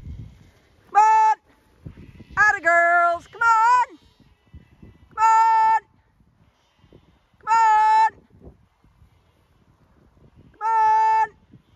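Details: Zwartbles lambs on a regenerative farm in County Kilkenny, Ireland, being moved to a distant field out of hearing of their mothers to ease weaning. Six loud, steady, flat-pitched bleats come at irregular intervals, with a woman's coaxing voice at the start.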